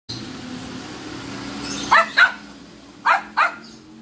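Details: Angry pet dog barking: two pairs of short, sharp barks, the barks in each pair about a third of a second apart, over a steady low hum.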